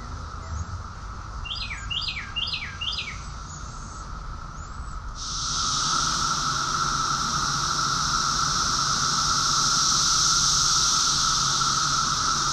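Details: Chorus of cicadas in summer at Rockville, Maryland, USA, June 2021: a few seconds of birds chirping in short descending phrases, then a loud, steady, high-pitched shrill drone that suddenly takes over and swells. A faint lower steady tone continues throughout.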